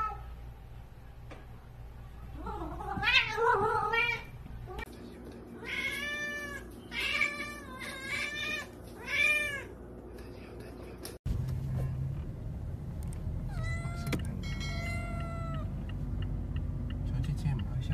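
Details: A grey Korat cat meows repeatedly indoors in short, rising-and-falling calls over a low hum.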